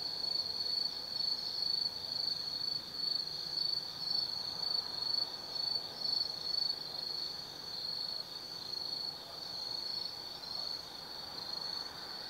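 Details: At night in autumn, forest insects trill from Tsukimi no Mori in Kaizu, Gifu, Japan, 180 m above the Nobi Plain: a bright, very high, sustained buzz throbbing in pulses roughly twice a second, softer toward the end.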